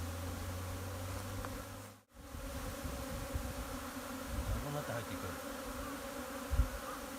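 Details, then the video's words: Japanese honey bees swarming into a hive on a spring afternoon, 15 April 2021, after scout bees had gone back and forth all morning; a low steady droning hum fills the air, broken by a brief gap. "ニホンミツバチ 春の日の分蜂"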